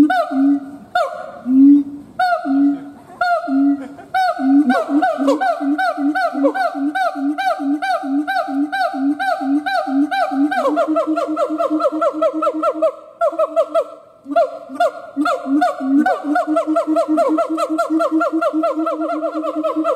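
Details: Howling siamang gibbon: a few long booming hoots first, then the calls speed up into a rapid, rhythmic run of harmonic barks that continues with short breaks for the rest of the sequence.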